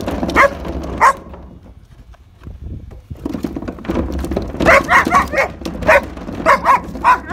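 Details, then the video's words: German Shepherd going after garbage can wheels: two barks, a quieter rumbling stretch, then a rapid burst of sharp yips and barks toward the end. "When German Shepherds Attack - Garbage Can Wheels"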